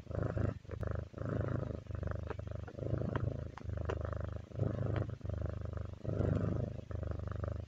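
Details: Pet cat's relaxed purr: continuous low buzzing vibration broken into breath-length phases of under a second, alternating slightly in strength, with a few faint ticks and rustles in a quiet room.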